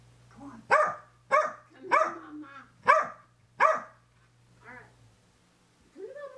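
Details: Female Corgi indoors going wild after a bath, recorded by a helmet camera on the floor: five loud, sharp barks about every half second, followed by softer whining yelps and a low steady hum.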